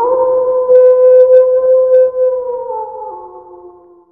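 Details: Sustained wolf howl held on a steady, even pitch for over two seconds, then dipping lower and tapering off into a quiet fade.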